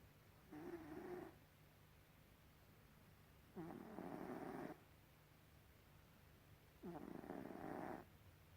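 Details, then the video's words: Three hoarse, buzzing snores from the pet cat Gribouille, each about a second long with a short squeaky start, evenly spaced some three seconds apart over low hum. "Gribouille the snoring cat"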